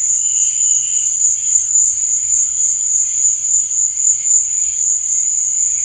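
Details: Brief stretch of nocturnal cricket song: a constant high-pitched ringing trill with a faint lower chirping layer that fades early on.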